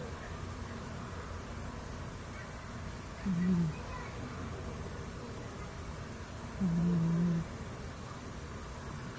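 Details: A cat snores in its sleep, giving two low, steady hums roughly three seconds apart against a quiet, hissy room background.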